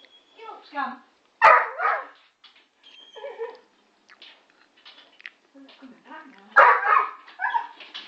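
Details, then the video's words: English Springer Spaniel (working type) barks at a pigeon at the window: two loud, harsh barks about five seconds apart, with softer whining or murmured voices between them. "Working Springer Spaniel barking at a pigeon"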